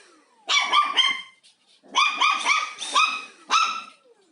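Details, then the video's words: Indoor pet dog confronting a vacuum cleaner it finds both interesting and frightening during housework; two bursts of quick, high-pitched barks, three to five in a row, ending with a single yap. "강아지와 청소기의 한판 승부"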